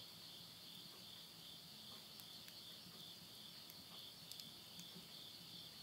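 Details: A continuous, thin, high buzzing chorus from insects at midnight in rural Yurihama, Tottori, Japan, late summer of September 2020, while a stove fire crackles with scattered clicks and soft low rumbles.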